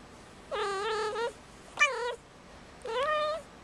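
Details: Calling in heat on Christmas Eve, five-month-old indoor female kitten Marmalade gives three loud, sustained wavering yowls, the middle one shorter and sharply dropping, with strong layered harmonics and quiet gaps between.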